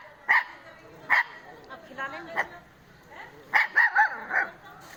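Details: A puppy Indian desi (pariah) dog gives short, high yelps and whines in uneven bursts.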